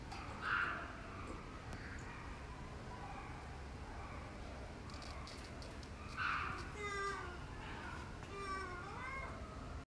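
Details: Ring-tailed lemurs at the LA Zoo giving short mewing, cat-like calls, with a couple of louder bursts and a rising, wavering call near the end over steady background murmur.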